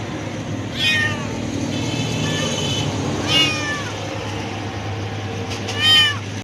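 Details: A hungry cat meows for food, three loud, drawn-out meows spaced roughly two seconds apart, each bending up then down in pitch, with a steady background rumble like vehicles and a faint tonal whine between calls.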